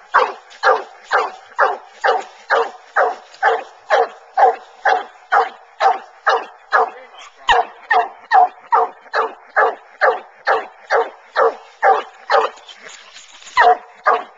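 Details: Bluetick Coonhounds coon hunting, trailing a track in corn then treeing in the woods; a fast, steady series of ringing barks roughly two per second throughout, slightly uneven near the end.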